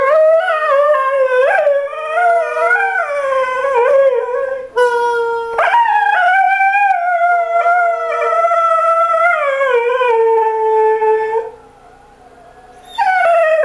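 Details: Domestic dog 'talking' with long, wavering howls that slide up and down in pitch, rich in harmonics, running almost continuously with brief breaks, before a short quiet gap and a final rising howl.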